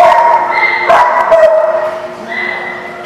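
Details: A dog at The Barking Lot, 19 August 2016, gives drawn-out tonal cries that hold a steady pitch, broken by a short sharper bark near the middle. Other dogs sound faintly behind.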